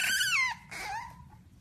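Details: French Bulldog puppy letting out two drawn-out, high whimpering squeals that slide downward in pitch, the second softer and trailing off.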